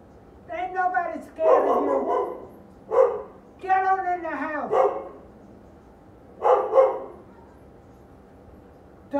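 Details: Two big dogs barking at an apartment front door, agitated by the woman walking them: a few harsh barks in bursts, spaced over several seconds, with a person shouting at the walker in between.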